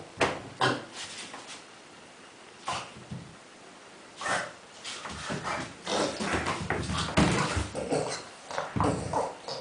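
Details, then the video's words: Dog playing among many tennis balls, making funny pig-like grunting sounds; short bursts of snorting grunts come irregularly, several per second in clusters, with quiet gaps between, indoors. "Kuba in heaven of tennis balls making funny sounds"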